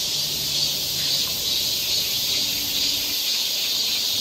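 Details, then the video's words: On a Seoul forest trail in Korean summer, cicadas keep up an unbroken high, sizzling drone that pulses slightly, with a low faint hum underneath. "cicada sound"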